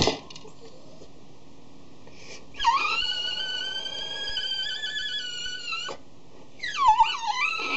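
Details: Tigger, a 3-year-old male Cavalier King Charles Spaniel, cries piteously indoors at his food dish before eating: a long, steady, high nasal whine of about three seconds, then a second wavering whine after a short pause, with faint dish clatter.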